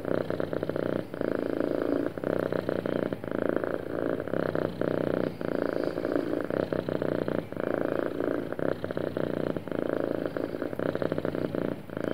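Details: Sweet, happy cat purring close up: a dense, buzzier rumble with brighter overtones, nearly continuous with brief dips roughly every two seconds as the breath turns.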